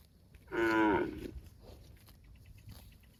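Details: Cow calling its extended family with a short, loud, brassy moo lasting about half a second, followed by a fainter, lower second call and quiet rural background noise.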